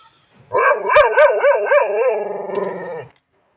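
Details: Street dog giving a quick run of high, ringing yelp-barks, roughly four each second, that slide into a shaky, wavering whine before stopping after about two and a half seconds; no other sounds around it.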